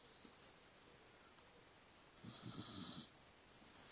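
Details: Cocker spaniel snoring: after a quiet stretch, one harsh, rattling snore of under a second, then soft breathing resumes.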